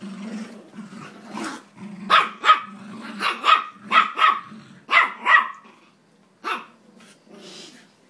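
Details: Jack Russell Terriers Jax and Rosco at tug-of-war: low growling at first, then a string of sharp, high barks in pairs and short bursts, fading to softer growls.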